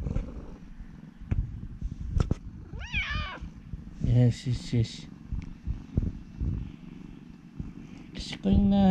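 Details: Ulara, a friendly former rescue cat, chatting with its owner at home; a steady low purr runs underneath, broken by a few short rising meows and the man's relaxed speaking voice.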